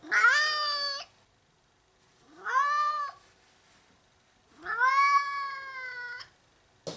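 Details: Three long, insistent meows from a house cat at play, each rising sharply at the start then held level for roughly a second, spaced about two seconds apart with near silence between them.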